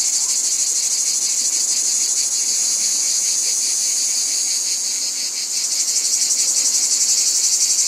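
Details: Continuous shrill cicada drone, throbbing in quick regular pulses, dipping slightly in loudness before swelling back to full strength.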